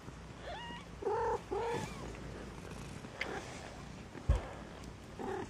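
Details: Mewing from Maine Coon kittens kept at a breed cattery in Saint Petersburg, Russia: a quick run of three or four piping, slightly wavering meows, a sharp knock partway through, and one last mew at the end.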